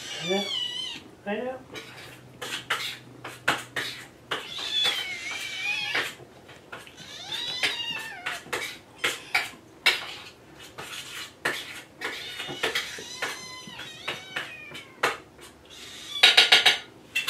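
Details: Kittens Jugg, Anita and Ru meowing together in the morning, asking to be fed; many overlapping high, wavering meows in quick succession, mixed with clinking dishes and cutlery and a man's voice.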